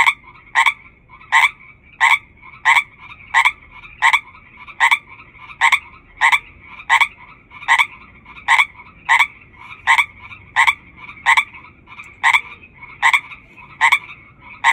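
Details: A chorus of hundreds of frogs, led by one loud caller repeating clipped, harsh croaks about every 0.65 seconds, some twenty-three in all, over a constant shrill chorus drone.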